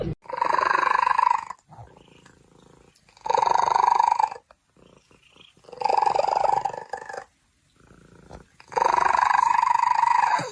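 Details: Pet cat from a funny cat compilation letting out four long, drawn-out meows, each steady in pitch and lasting about a second, separated by short quiet gaps.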